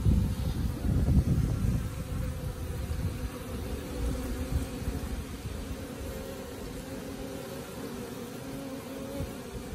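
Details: Wild honey bees of a colony that has moved into a tree beside a house, possibly settling in; a steady low droning hum of many bees, louder at first then easing, with faint music underneath.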